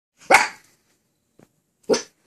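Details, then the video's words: Miniature Australian Shepherd puppy recovering from surgery, wearing a cone, asking for help and permission to jump onto the bed: two short sharp barks about a second and a half apart, quiet room. "Mini Aussie puppy want some help!"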